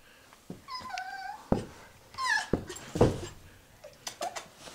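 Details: Cheri, a pet poodle, chased in play indoors, gives several high, thin squeaks with bright harmonics, some held level and one wavering and falling, between sharp thuds and a person's coaxing voice.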